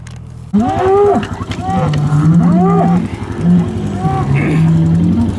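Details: Hereford cattle bulls turned out with breeding groups at the start of breeding season in 2017: deep, drawn-out moos and bellows overlapping one another, several animals calling together with a steady low engine hum beneath.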